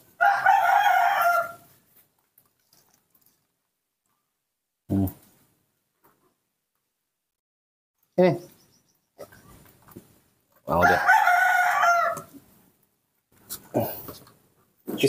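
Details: A baby monkey in human care begs for milk instead of bananas, giving two long, tonal, wavering cries more than a second each, separated by quiet gaps with brief clicks, thumps and low handling sounds.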